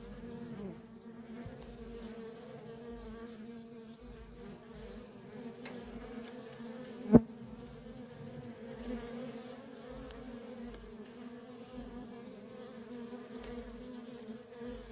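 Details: Nonstop worker bee traffic at a feral honey bee colony gives a soft, even low hum, with one sharp click or tap near the middle and faint quick whines of passing bees.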